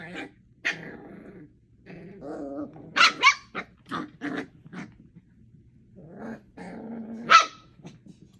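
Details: Four eight-week-old puppies playing with each other indoors, giving short rough growls and snarls in irregular bursts, with a few sharper yips and barks mixed in between quiet pauses.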